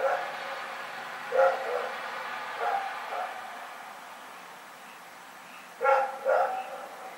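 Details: Nighttime barking by Rex the dog in Pyrga, 27 February 2018: a few softer, more distant barks, then a loud double bark near the end, over a faint hiss of background noise.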